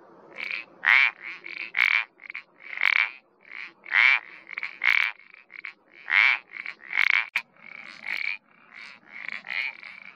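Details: Iberian parsley frog giving bursts of short creaky croaks, notes spaced about a second apart and varying in loudness, some quick double notes, with a faint background hiss.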